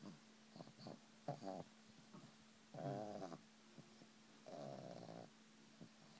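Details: A pug enjoying a massage indoors makes soft, low, drawn-out "mmmm" moaning hums, two longer groaning bursts among short snuffly breaths and faint rustles in a small room.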